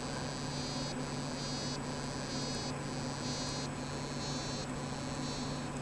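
A dwarf frog sings in short, buzzing trills repeated about every second over a steady low hum.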